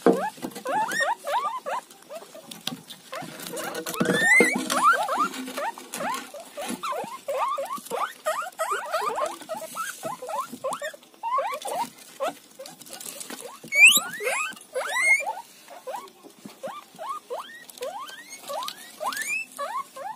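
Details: Guinea pig eating roti, giving a rapid series of short, rising squeaky notes that tumble over one another almost continuously, with a few higher, sharper peeps and soft chewing patter underneath.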